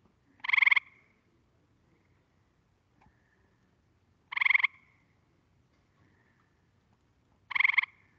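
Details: Gray treefrog, the last quiz recording in a frog-survey training session: three brief musical trills spaced roughly three to four seconds apart, each a rapid pulsed burst, over a quiet background.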